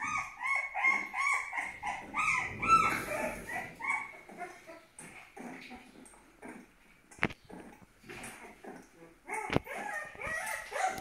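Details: A twelve-day-old Aksaray Malaklı puppy opens with loud, high, quavering whines in a quick repeated series. Quieter whimpers, sharp clicks and handling noises follow.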